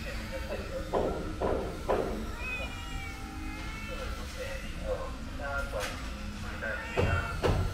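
A calico cat meows repeatedly for snacks, with wavering, drawn-out cries over background voices and clatter.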